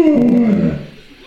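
An Alaskan Malamute gives a short, falling, moaning 'woo' of happy greeting as people arrive.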